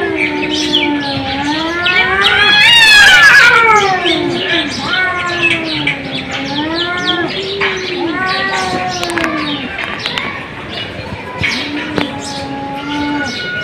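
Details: Long, sliding cat meows from more than one animal, overlapping and bending up and down, with a sharp strained yowl around three seconds and quieter mews trailing later.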